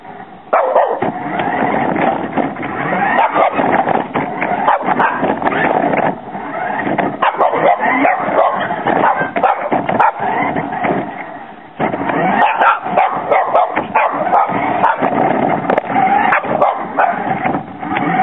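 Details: A Boston Terrier barks in short, sharp bursts while chasing a remote control car, over the steady whine of the car's small motor; recorded from a camera on the car's front bumper.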